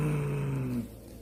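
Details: A domestic cat gives a low, steady, droning growl, a defensive warning made at peak tension alongside hissing, with fur raised and back arched.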